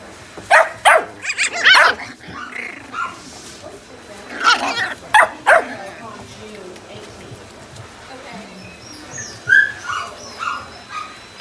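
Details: Sheltie and cavapoo puppies at The Puppy Den in Daphne give short sharp yips and barks in uneven bursts, several close together early on, with softer whimpering calls near the end and a person talking.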